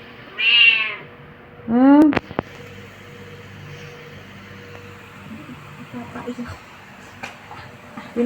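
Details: A clingy Khao Manee cat gives two loud, rising meows rich in harmonics about a second apart, followed by a few sharp clicks and a quiet indoor background.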